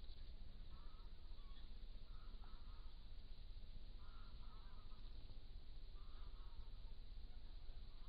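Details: Stone martens, a family still together in an old barn, give four soft, nasal, honk-like calls about every one to two seconds, each a brief wavering burst, heard over constant low rumble and background hiss.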